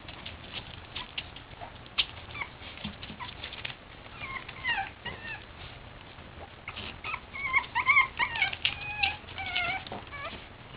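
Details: Several Boston Terrier puppies at play give soft squeaky whines and short wavering yelps, scattered at first, then bunching into quick runs of high cries near the end.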